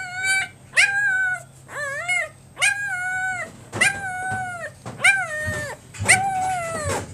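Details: Great Pyrenees puppy, a male born on October 29, giving seven loud drawn-out whines and yelps, each about half a second long, rising then falling, with a rich stack of harmonics, spaced roughly one second apart.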